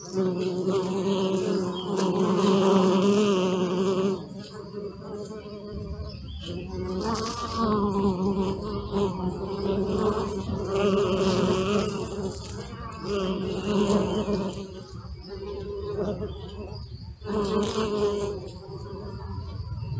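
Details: Close-up bee recorded on a Sony Alpha 6000 camera, a steady low droning buzz with rich overtones that rises and dips in loudness every few seconds, briefly dropping away and returning as the bee shifts position.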